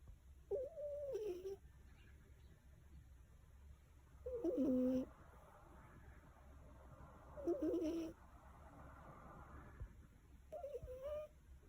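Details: Sleeping black cat, born with poorly clear nasal passages, snoring in a human-like way: four nasal, wavering bursts a few seconds apart, separated by quiet breathing.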